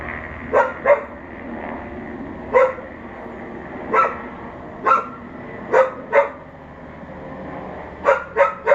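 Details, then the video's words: Dog alone outdoors barking at a neighbour behind a bathroom window, 11:43am on May 28, 2022; a run of about eleven barks, often in quick doubles and a final fast triplet, over a steady background hum. "Barking dog"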